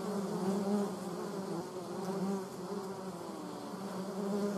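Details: Honey bees and German wasps disputing over water; a steady low buzzing hum with a slightly wavering pitch, rising and falling in loudness as insects move close, with layered overtones and no other clear sounds.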